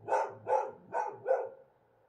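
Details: Wild dogs in Morocco on a bright moonlit night, vocal and regular: four sharp, hoarse barks in quick succession, evenly spaced about every 0.4 seconds, then the calls stop and only faint background hum remains.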